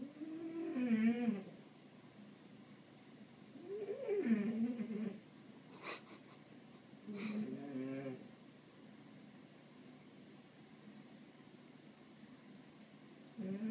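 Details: Pet cat Ralph watching birds gives three wavering meows spaced a few seconds apart, each about a second long with a dipping then rising pitch, plus two brief clicks between them indoors.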